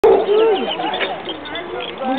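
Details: A pack of Basset Hounds gives deep, drawn-out bays that rise and waver, overlapping in a loose chorus without clear pauses, to welcome a 17-month-old newcomer to the pack, recorded May 10, 2009.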